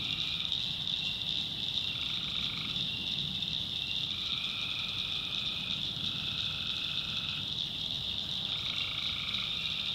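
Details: After dark in a North Carolina backwoods swamp, tree frogs trill in bursts of about one to one and a half seconds, several in succession, over a dense, steady high-pitched cricket background.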